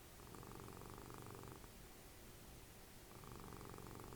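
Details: Dessie the cat, mother of Fritjof, cuddling and snoring while the TV is on; a low buzzing rumble lasts about a second and a half, fades into a quiet pause, then starts again near the end.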